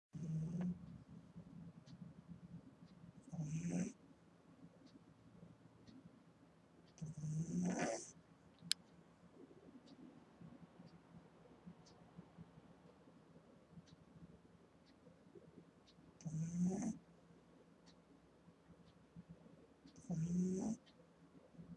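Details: An 8-week-old female Boston Terrier puppy snores loudly while asleep, in low, rasping breaths with a hissy edge every few seconds.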